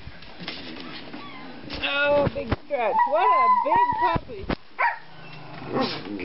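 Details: Two 4-month-old male Treeing Walker Coonhound puppies, brothers, playing together; several bursts of high arching yelps and short wavering howls rise and fall over a few seconds, broken by pauses and scuffling sounds.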